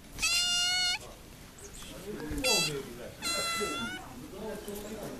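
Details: Described as a Russian talking cat, the animal utters three separate sustained, harmonic meows, each under a second and steady in pitch, spaced about a second apart, with soft rustling and indistinct low sounds between them.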